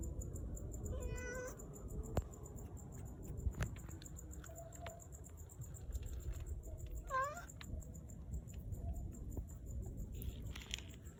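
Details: Curious domestic cat walks over, sniffs and then lies down to relax. It gives two short meows, one near the start and one later, over a steady low rumble, a high hiss and a few clicks.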